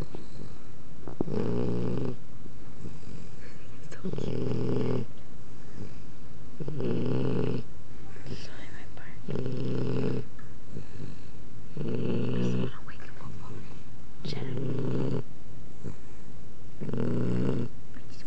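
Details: Puppy asleep and snoring very loud: seven deep, rasping low snores at a steady rhythm, roughly one every two and a half seconds, with soft background voices and quiet room noise in the gaps.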